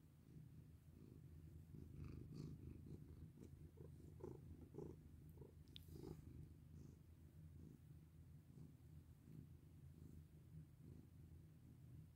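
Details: Domestic cat purring while being petted: a steady low rumbling purr with soft rhythmic pulses, plus faint rustling and light touches from the petting hand.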